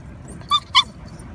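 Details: Thai Ridgeback puppies: two short, bright, harmonic yips in quick succession, the second slightly louder, over a low steady background rumble.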